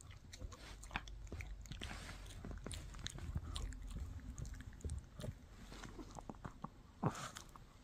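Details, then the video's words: Mikki, a Shih Tzu puppy, gnaws a no-hide bully stick indoors in a small room: dense irregular crunching, clicking bites and low gnawing thumps, with a louder snap near the end. "Shih Tzu Chewing on a Bully Stick"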